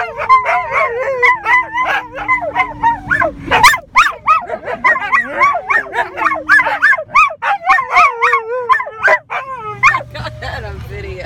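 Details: Two mid-content wolfdogs and a husky sing together in a car, howling in wavering, overlapping tones while a person howls along.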